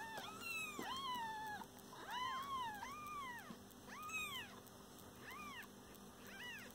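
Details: A mother cat and her lovely kittens: a run of loud, clear meows, arched and slightly drawn out, about one a second, softening to shorter chirpy mews at the end over a low electrical hum.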